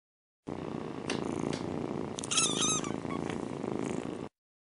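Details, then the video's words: Mother cat purring while nursing her kittens before they fall asleep; a steady rumbling purr throughout, with a brief high, wavering squeal from a kitten midway and a few soft clicks. "Cat Mom's Lullaby: Purring Kittens Drift into Dreamland"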